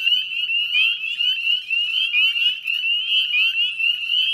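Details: Northern spring peepers calling en masse at dusk by the Chezzetcook salt marsh, Nova Scotia, in May; shrill rising peeps repeat rapidly, over one per second from nearer frogs, above a dense jingling background chorus.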